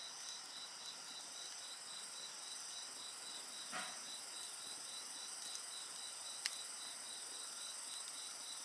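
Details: Steady high insect song by a bonfire, a continuous shrill hum with a quick pulsed trill woven through; one louder pop and a soft thud of wood stand out.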